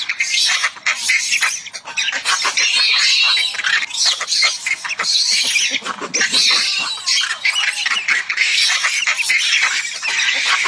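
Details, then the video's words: Macaque with its head stuck, screaming for its mother to come save it; harsh, noisy, high-pitched screams run almost without pause, loud and rasping with brief dips in between. "screaming for his mother to come save him"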